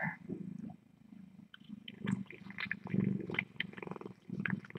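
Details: Rescue kittens at the Tiny Kittens Society during a late-night visit, heard through a live-streaming cam: a steady low rumbling purr pulses throughout, overlaid with scattered soft clicks, rustles and brief higher mewing fragments.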